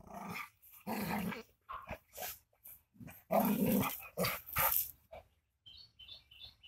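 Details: Rottweiler fight with broad, rough barks and snarling bursts in quick succession. Loud growling peaks near the middle, then thin high chirping squeaks at the end.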